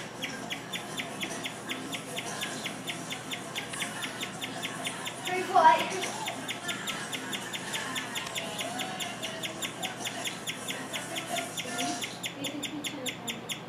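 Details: A pet guinea pig chirps steadily for an unusually long time, a long run of quick, bird-like high notes repeated several times a second; its reason for chirping is unknown; guinea pig chirp.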